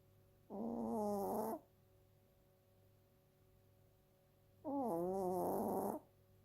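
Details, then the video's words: Chokobi, a two-year-old female Chiweenie, snoring in her daily routine: two drawn-out, tonal, wavering groans about a second long, roughly four seconds apart, with quiet between breaths. "チワックスの日常 ちょこびちゃん 【いびき】"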